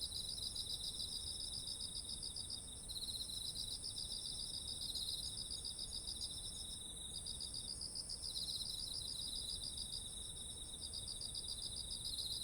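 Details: Chorus of autumn insects near fields of ripe rice, captured on a ZOOM H1essential; fast beaded trills at two high pitches overlap and trade off, with a constant shrill hum higher up and soft background rumble.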